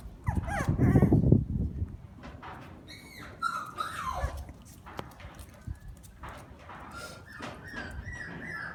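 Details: Shiba Inu siblings: a loud, rough, low-pitched burst over the first second and a half, then thin, high whining notes that rise and fall in short strands. Scattered quieter whimpers follow, with faint soft shuffling throughout.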